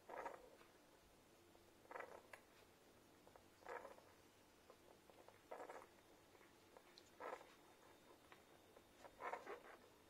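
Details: Newborn Irish Setter puppies from their mother's first litter make soft, short squeaky snuffles at a slow, uneven pace while suckling from her.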